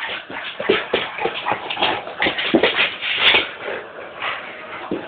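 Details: A Staffordshire bull terrier and a Dogue de Bordeaux playing together, described as best friends; rough scuffling and shuffling with short snorting, whining vocal bursts and one brief high squeak midway.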